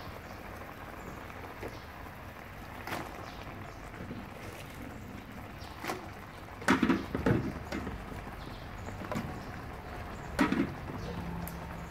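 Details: Indoor clatter of sharp clicks and knocks over a low rumbling background, like dishes or utensils being handled, with no animal call audible.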